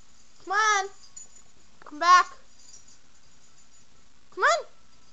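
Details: Young pet dog crying in three separate squeaky, nasal whines, each arching up then sliding down, well spaced with quiet room between them.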